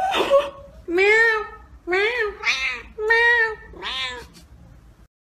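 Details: Domestic cat kept indoors, wanting to go out, gives a run of five long, loud, wavering meows about a second apart, each bending up then down, with a brief human voice at the start.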